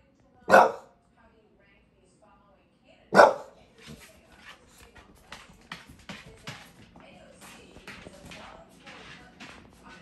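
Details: Bulldog mid-rant in New York City gives two loud, sharp barks a few seconds apart, followed by a stretch of softer clattering and background noise.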